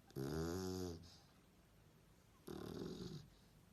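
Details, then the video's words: Sleeping dog snores: one loud harsh buzzy snore, a quiet gap, then a softer rough breath, in a calm room. "Snoring Dog - Schnarcheder Hund"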